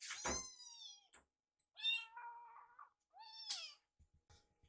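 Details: Rescued baby kittens wait for food by a microwave. Three separate meows: a loud, rising-falling cry, a longer wavering one, then a short bent call, followed by light tapping.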